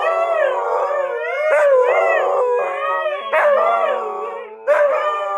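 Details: A female Siberian Husky, asked to sing, howls on command in long, wavering tones that rise and fall, with brief breaks between phrases.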